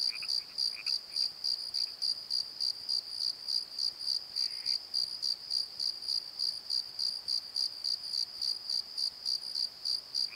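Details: Cricket chorus at night in a valley bottom: a regular high, ringing chirp pulsing about three times a second, plus a few faint lower chirps and a brief soft buzz early on.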